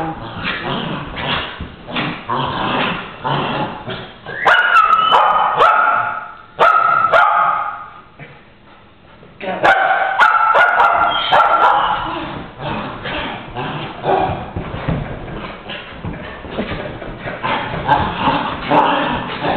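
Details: Two dogs, Strudel and Moxey, play fighting in January 2011: rough growls and harmonic, whining barks come in bursts, with a quiet gap mid-way and then more tussling yelps and grumbles.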